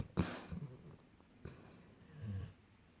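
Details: Golden retrievers asleep indoors and dreaming; a sharp snorting breath opens, followed by soft low rumbling snores around half a second and again near two and a half seconds in a quiet room.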